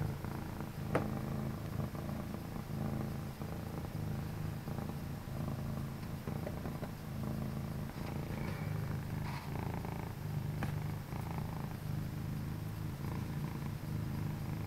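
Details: Two pet cats, one all orange and one orange and white, purring indoors in a home office late at night; a continuous low rumbling purr with a steady pulsing rhythm, plus occasional faint clicks.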